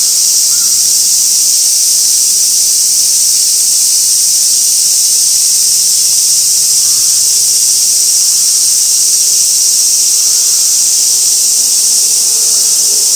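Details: Cicada drone at Gaikotsu-yama, Japan, 2 August 2024, fixed camera at an old sawtooth oak: constant shrill, hissing buzz held at steady loudness for the whole stretch.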